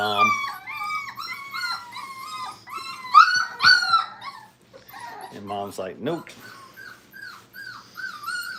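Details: Five-week-old Brittany puppies in a kennel during crate training, giving high, tonal whines that bend up and down in overlapping bursts, with a brief louder cluster of sharp cries midway and a short dip into quiet before the whining resumes.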